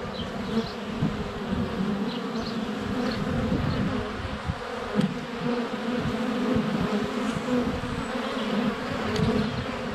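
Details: Honey bees in flight at a hive entrance on a sunny February day, filmed with a GoPro Hero 7 Black less than a foot away; a dense, steady low buzz of many wings, with faint birdsong chirps overhead and occasional bumps of bees landing on the camera.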